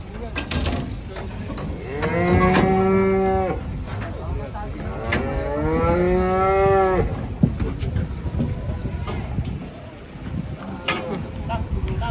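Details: Emaciated cow, skin and bones, in its pen gives two long lowing moos, each about one and a half seconds, rising then sagging in pitch, with rustling, clunks and quiet voices around.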